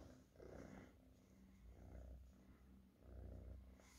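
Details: Low rumbling purr of a domestic cat rising in three breath-paced surges about a second apart, quiet between them.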